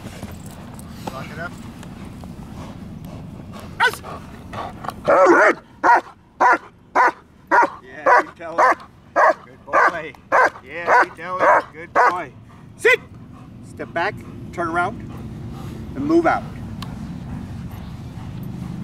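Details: German Shepherd during training gives a quick series of about fourteen sharp, evenly spaced barks in the middle, framed by scattered single barks and human speech before and after.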